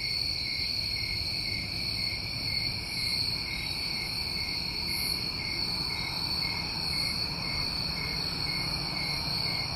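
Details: Many New England crickets on a summer night blend into one continuous shrill trill with a weaker lower tone. Occasional airy pulses sound higher up, and a light low-frequency murmur runs throughout.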